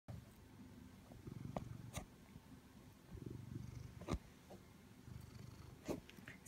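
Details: A male Siamese cat purrs steadily while seeking attention from his owner, a low rumbling vibration rising and falling with each breath.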